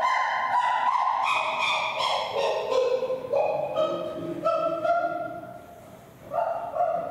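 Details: Chimpanzee Flynn, sitting on a top bunk, gives excited pant-hoots while staring at Tuli just before she kisses him. The hoots come as a series of loud, harmonic calls that slide and rise in pitch, each about a second long, with a quieter gap near the end.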